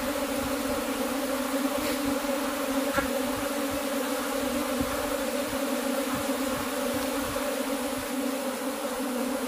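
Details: Cultivated honey bees humming in a constant thick buzz, unchanging in loudness, with faint tapping sounds underneath.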